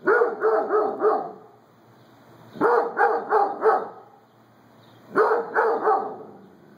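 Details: Pet Doberman barking excitedly with no one around, in quick bursts of about four harsh barks, each burst separated by a pause of roughly a second and a half; three bursts heard in a quiet indoor setting.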